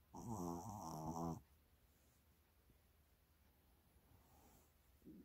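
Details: Shih Tzu named Mini enjoying a massage, filmed 30 January 2022: one drawn-out, low, throaty grunting moan lasting about a second and a half, rich in harmonics, then near silence with a soft snuffle at the end.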